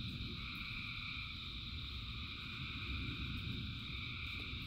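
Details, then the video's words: Many frogs calling in the rain, their sustained trilling chorus forming steady high bands with fast irregular pulsing, while strong rain rumble dominates the lower range. "Frogs in Rain 2 Hours of Frogs, Thousands of Frogs Singing"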